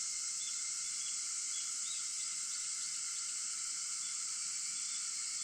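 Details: Cicadas singing at 4:50 in the early morning of August 4: a steady, dense high-pitched insect chorus of layered bands that hiss and shimmer without pause, with several callers blending together and no other sounds standing out.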